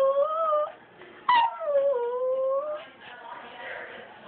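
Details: Puppies whining, recorded on an Android phone: long tonal whimpers with a bright harmonic stack, the first held steady for under a second, the second starting high and sliding down into a sustained drawn-out whine, then softer fainter whimpering.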